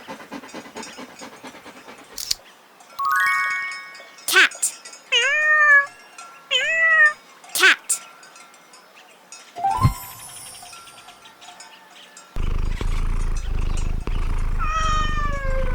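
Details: Cat on a farm meowing in short separate calls, each a curved tone rising then falling, spaced a second or two apart; a steady low rumbling noise fills the final few seconds.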